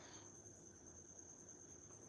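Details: Indoor crickets, escapees from a pet gecko's enclosure now living in a hole behind the fridge, give a very quiet, continuous high-pitched trill that holds steady throughout over a low room hum.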